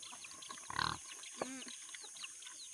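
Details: Native pigs being fed on a farm: one short, harsh squeal lasting under half a second, then a quick higher chirp, over a steady insect hiss and scattered clicking.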